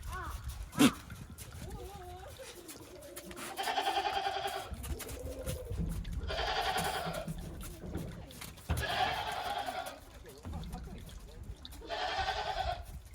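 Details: Farm goats walking timidly on snow after heavy snowfall, 28 December 2023, on their first outing in a while. Four loud, wavering, harmonic bleats, each about a second long, come every two to three seconds amid rustling and faint voices.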